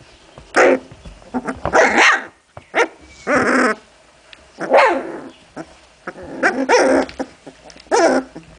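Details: Puppies of Memphis-true, Olga and Scarko de la Betoule during play, trading harsh barks and growling yaps about every second, some rasping and drawn out, over a quiet indoor background.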